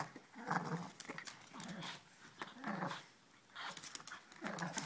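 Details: Puppies Ella and Duke playing: four separate growly, grumbling bursts, low and rough with a nasal edge, set apart by brief quiet gaps and light rustling.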